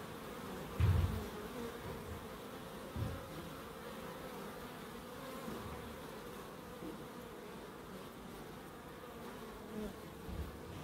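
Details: A continuous bee hum drones on in a small wildlife garden at Crookes. The tone is steady and mid-low, with a few dull knocks and rumbles scattered through it, strongest near the start.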